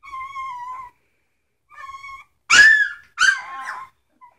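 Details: Two level, thin whines from three-week-old Samoyed puppies, then two loud, abrupt yelps that sweep down in pitch, closing with a faint squeak.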